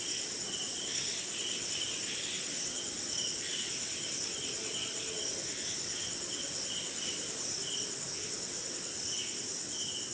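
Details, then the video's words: Crickets in a rainy night forest in India keep up an unbroken high-pitched ringing trill, while a second chirping layer pulses roughly twice a second, unevenly spaced; other insects and light rain fill the background. "Sleeping Night in Jungle - Cricket & Swamp! Forest Sound"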